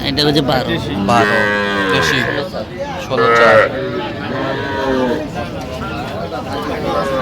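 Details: Small Sahiwal bulls and heifers bought by a Faridpur farmer at a Bangladeshi cattle market in November 2025 low in drawn-out, rising and falling bellows, two or three voices at once, with men haggling over prices nearby.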